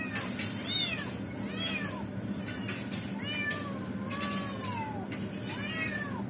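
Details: Mother cat attempting to rescue a trapped kitten; a series of arched meows, some drawn out and falling, about one per second over a low droning background.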